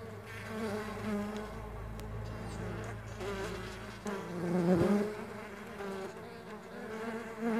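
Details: Farmed stingless bees buzzing together, a steady low drone of overlapping wavering wingbeat tones, with a soft low rumble in the first seconds and a brief swell in loudness near the end.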